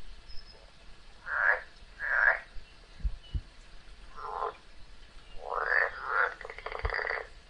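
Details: Frog locked in a fight with a snake gives short cries in pairs with pauses, ending in a buzzy, pulsed call; a few dull knocks are heard between them.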